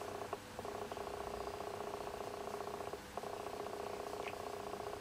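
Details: Domestic cat, one of the pair Shijimi and Asari, indoors while Shijimi eats and Asari keeps watch outside; a steady rattling purr runs almost the whole clip, broken by two brief pauses.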